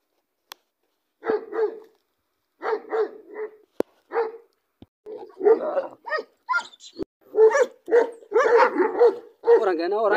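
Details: Big American Bully dog in Pakistan barking in short deep bursts, first in pairs with pauses, then quicker and more crowded, harsher barks toward the end.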